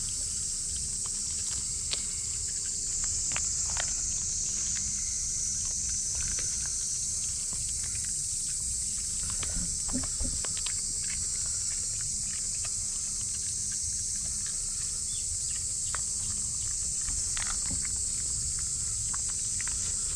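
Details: Noisy cicada chorus around a micro pig, a constant shrill drone that never pauses, overlaid with soft trotting steps, occasional thumps and faint low murmurs.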